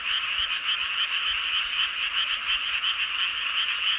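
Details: Frog chorus under the full moon at Seowon-myeon, Hoengseong County, Gangwon Province, Korea: many frogs overlapping in an unbroken, high-pitched rattling trill with quick repeated pulses, loud and even.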